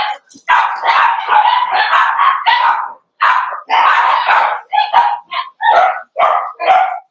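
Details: Cavalier King Charles Spaniel puppies meeting bigger dogs in a home puppy pen during a socialisation session, 12/13/22; dense bursts of barking, then shorter separate barks near the end, with short pauses between.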